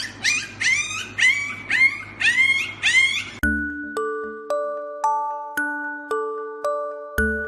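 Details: Siberian husky puppies giving a quick series of rising-and-falling whining yelps, about two per second for three seconds. Plucked piano-like music follows and fills the rest.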